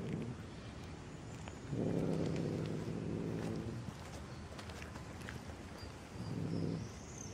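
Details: Black stray domestic cat in the street: a long, low, drawn-out meow lasting about two seconds, then a shorter, similar meow near the end, over steady outdoor background noise with faint high insect-like hiss.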